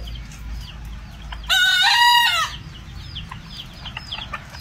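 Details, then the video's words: Bekisar crowing, one of two birds heard in a crowing duet: a single loud, harsh, harmonic-rich crow of about one second, set against quieter background chirps from small birds. "DUET KOKOK DUA AYAM BEKISAR"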